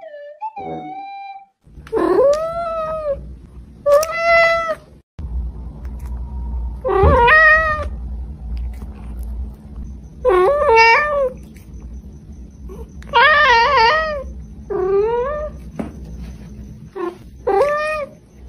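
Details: A pet cat meows repeatedly, about ten bright, wavering calls rising and falling in pitch, some short and some drawn out, over a steady low background hum.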